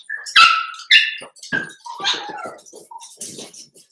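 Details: Seven-week-old Cavalier King Charles Spaniel puppies from Daisy's litter in an indoor home puppy pen; a burst of high, tonal whines and sharp yelps, a few loud ones early, then softer broken cries amid household clatter.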